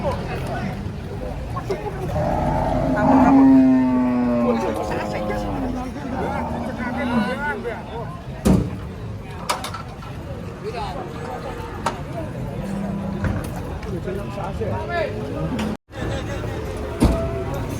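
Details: At a cattle market, cattle are being unloaded from a truck and one gives a long, wavering moo early on. Excited talk, shouting and traffic follow over the rest of the stretch.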